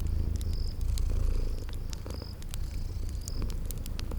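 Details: Cozy purring from sleeping kitties by a crackling fireplace: a dense, throbbing low rumble swells and eases slightly, overlaid by crisp fire pops and a few thin, high chirps drifting in from a spring garden backdrop.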